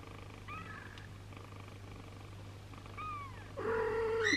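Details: Long-haired British mother cat with her three kittens and an abandoned kitten: two faint high mews, then a louder, longer falling cry near the end, against a constant low hum.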